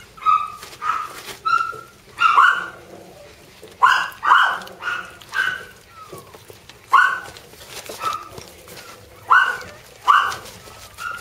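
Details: Jack Russell terrier puppy siblings yapping in quick high-pitched squeals and short whining yelps, about a dozen bursts in eleven seconds, some in close pairs, with faint indoor background noise.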